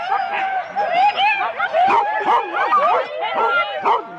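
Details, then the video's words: Husky teams of four dogs at the start of a sled run, Rendlesham, January 2016: eager barking from many dogs at once, with short rising and falling yelps and whines overlapping closely. "4 dog Husky teams - the complete start"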